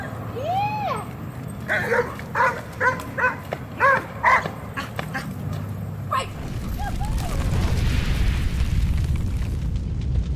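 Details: Reactive dog during training in Georgia letting out a rapid run of barks for about three seconds, after a rising-falling whine; afterwards the barking stops and rumbling wind or handling noise takes over.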